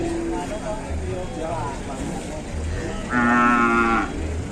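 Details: Cattle raging and charging; a single loud moo near the end, a steady, harmonic-rich bellow lasting about a second, over continuous background noise and faint speech.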